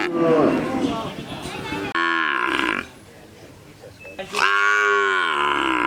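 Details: Several cows give loud, drawn-out moos with rich harmonic tones, one after another.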